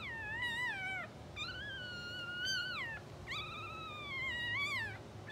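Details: Two-hour-old English Bulldog puppies from a blue sable litter, sleeping, twitching and dreaming, give three drawn-out, high, whining squeals. Each rises, holds steady and then falls away over about a second, over a low steady background hum.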